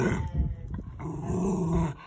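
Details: Dog growling angrily when asked for its paw, a low rumbling growl through most of the two seconds, with a person's voice saying paw just before and after.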